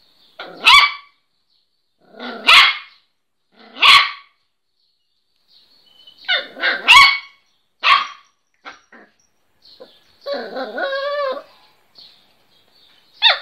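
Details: A small Miniature Pinscher tries out its first barks, giving sharp, high, clipped yaps roughly every one and a half seconds, then a quick double yap, scattered clicks and a drawn-out whiny yelp.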